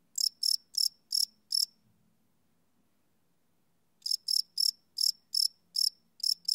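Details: Cricket chirping at night, live recording on a Sony PCM D100 field recorder: a few high chirps, then a silence of about two seconds with a low faint hum, then slightly irregular chirps return.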